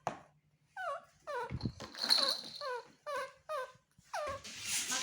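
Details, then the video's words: Baby male monkey seeking comfort and a hug from his mother gives repeated whining squeals that drop steeply in pitch, about one per second, mixed with rustling, hissy handling noise and a low background hum. "Adorable Baby Monkey TORO Makes Sweet Sounds To Get His Mother To Comfort And Hug Him"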